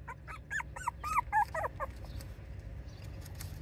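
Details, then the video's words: Miniature Schnauzer and Bichon Frise mix dog giving a short run of high, arched whimpering yelps over about a second and a half, then quieter room sounds. "ミックス犬 ミニチュアシュナウザーとビションフリーゼのミックスです。"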